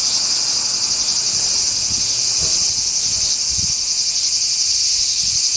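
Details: Summer cicada chorus recorded 4 August 2017, the singers out of sight: a continuous sizzling high whine, evenly loud throughout, with a few muffled low bumps underneath.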